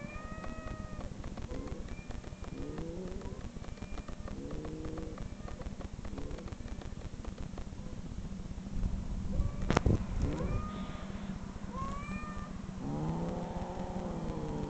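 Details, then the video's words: Played-back online cat meows that a dog reacts to by growling and searching; a run of short arched mews repeating every second or two, then longer wavering meows near the end, under a continuous low rumble. "cat meow"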